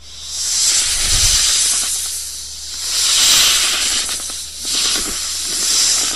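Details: Snake giving a continuous rough hiss that surges three times in about six seconds, each swell of breath rising and easing, with a low steady hum beneath.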